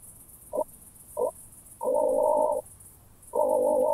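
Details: Ultrasound-detector recording (Pettersson D 100) of an oak bush-cricket, Starnberg, Germany, 18 July 2023: two short clicks about half a second apart, then two sustained rasping bursts of roughly 0.8 s separated by a pause, with constant faint hiss.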